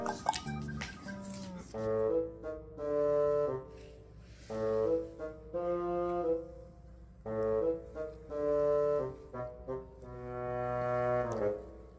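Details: Comic background music led by brass instruments, with horn-like phrases swelling and pausing in short repeated bursts; no animal voices are heard.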